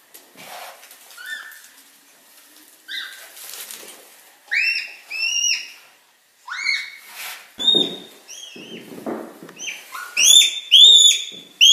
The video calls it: Red panda sounds, red panda squeak